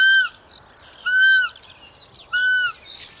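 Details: Roe deer calling three times in steady succession, each call a strong, pure, squeaky tone lasting roughly a quarter to half a second, with soft bird chirps and twitters filling the gaps between calls.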